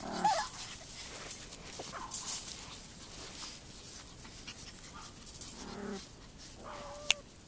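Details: Two AKC Chihuahua puppies, a short-haired fawn/white male and a long-haired white female with fawn spots, playing outdoors on a warm February day: a sharp little yip opens, soft squeaks follow, and a thin whine near the end, with a click-like snap.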